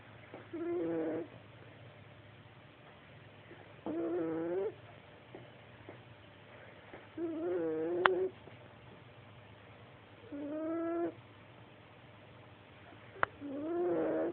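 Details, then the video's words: A tiger snores steadily, giving five rasping, humming breaths, each about three quarters of a second long and spaced roughly three seconds apart, with near silence between and a couple of sharp clicks. "Tiger snoring"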